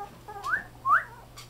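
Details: Fawn male Chihuahua-Poodle mix puppy born July 9 letting out two quick, thin whines, each sweeping upward like a squeaky whistle, against a faint steady indoor hum.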